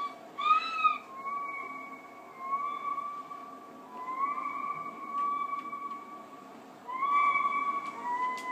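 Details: Pet husky indoors, vocalising at the television while looking for the animal on screen: a series of long, held whining tones, each drawn out for a second or more with short gaps, a few steady notes rising slightly before leveling off.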